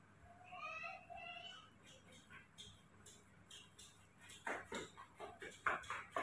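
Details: Baby monkey Mobi, hand-raised at home, asking for milk after waking up in the morning: a short run of thin, squeaky tonal calls at the start. Clicky smacking bursts follow, indoors.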